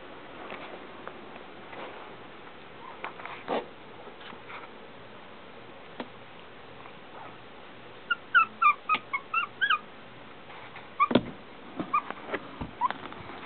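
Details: Shih Tzu puppies from Lily's litter, 22 days old, on a puppy cam on September 3: scattered soft clicks and rustles, then a quick run of short, high, squeaky whimpers midway, with a few more thin yips near the end.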